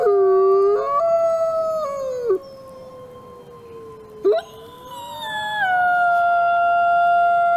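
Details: A captive-born male gray wolf, an ambassador wolf at a wolf conservation center in South Salem, New York, gives long, smooth howls that slide and waver in pitch.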